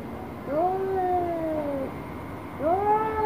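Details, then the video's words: Angry orange cat facing a black cat utters two long, moaning yowls. The first swells and then slowly sinks over more than a second. The second rises sharply and holds. "KUCING Oren Marah Marah Sama KUCING Hitam"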